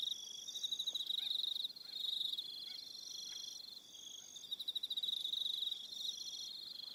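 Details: On Aroha Island, New Zealand, crickets call in the evening with high, rapidly pulsed chirping trills, several overlapping voices rising and falling in loudness, with brief pauses and faint soft ticks beneath.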